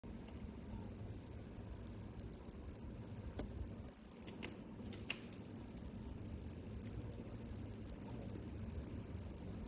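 A cicada gives a continuous, piercing high-pitched drone, broken only by two brief pauses.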